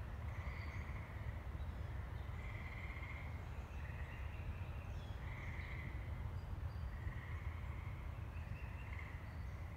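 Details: Tree frogs near woods in Saugatuck, Michigan, on 14 May 2018, the first tree frog song of the year, give short, high musical trills every second or two over a steady low rumble.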